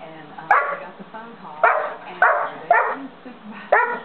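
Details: Dozer, a 5½-month-old St. Bernard, barks loudly while trying to get another dog, Simba, to play with him: five deep, punchy barks at uneven intervals of half a second to a second, with a faint murmur of voices underneath.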